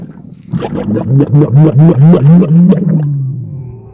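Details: A spitting camel gives a deep, throaty gurgling rumble, pulsing in a rapid run of about a dozen bubbling throbs that swell, then fade into a low drawn-out groan.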